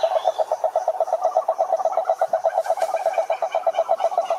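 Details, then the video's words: Toad croaking: a fast, steady train of mid-pitched rattling pulses, several per second, overlapping into a dense chorus for the whole stretch, with no other clear sounds. "Som do Sapo Coaxando"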